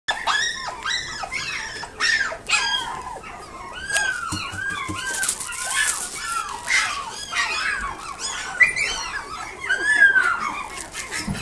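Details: Toy Poodle and Pomeranian cross puppy at a pet shop in Nagoya, whining steadily in high, thin, rising and falling whimpers, many in quick succession, indoors with no other clear sounds.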